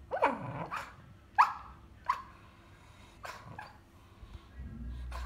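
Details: Pet dog dreaming while asleep, giving soft, muffled woofs and yips, about six brief bursts in five seconds at irregular intervals, with quiet breathing and low rumbling between them.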